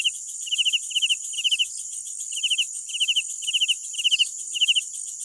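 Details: Crickets at night calling with bursts of three to four rapid pulses, grouped in pairs and repeated about every half second, set against a continuous shrill insect buzz.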